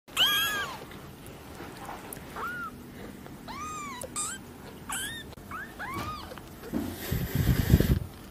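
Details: Small cat being scratched indoors, which is said to make it roll over: a run of thin, high, arching meows, roughly seven short calls rising and falling over about six seconds, then soft rustling and handling noise at the end.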